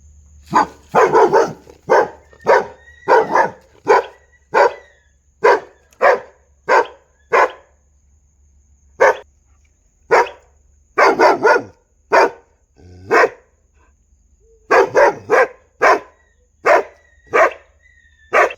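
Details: Dogs barking in a long, busy run of sharp, loud barks, some single and some in quick doubles or triples, with brief quiet gaps between bursts and a faint steady hum underneath.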